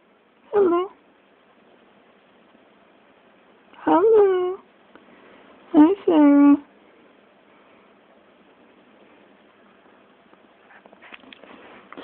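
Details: Serra, a pet kitten recorded on an Android phone, meows three times at spaced intervals. Each call is a short, falling, plaintive mew, and the third breaks into a quick double note. Faint rustling follows near the end.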